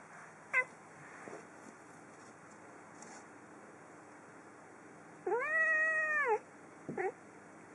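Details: Female pet cat indoors at home gives one clear, drawn-out meow with a rising then falling tone after a quiet stretch. A few short soft noises come before it and a brief squeak follows.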